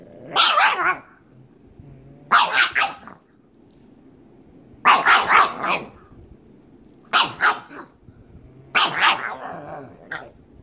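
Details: Playful pug, one of two pet pugs, still trying to get its companion to play, barks in five short bursts roughly every two seconds, each a rough doubled yap, with quiet indoor gaps between.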